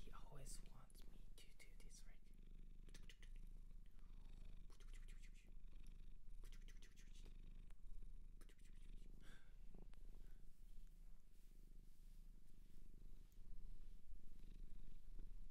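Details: Shelter cat in Japan purring continuously at close range indoors, a deep even throb lasting the whole stretch, with occasional whispered words and small handling noises above it.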